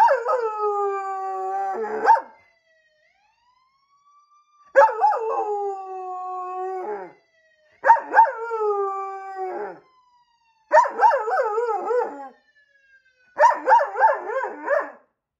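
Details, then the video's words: A police German Shepherd howls in long, wavering, mournful notes, answering a siren, as he always does when he hears police cars or fire engines. "The Singing Police K9 German Shepherd- Singing The Song of His people"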